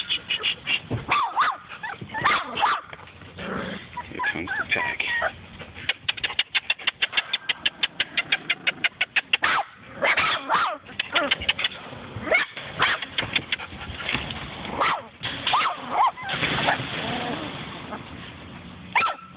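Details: Puppies from a litter of nine, six females and three males born October 26, giving high squeaky yips and whimpers, with a fast run of short evenly repeated yips midway and scattered cries before and after.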